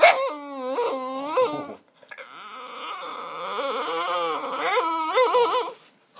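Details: A female Boston terrier whines and moans when she sees other dogs on TV, with rising and falling nasal cries in two quick pairs, a longer wavering stretch, then more yelping whines. A person talks nearby.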